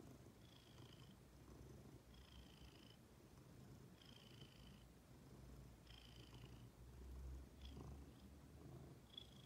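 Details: Ginger, a female pet cat, purring in a deep pulsing drone, while faint high whistled notes repeat roughly every two seconds throughout.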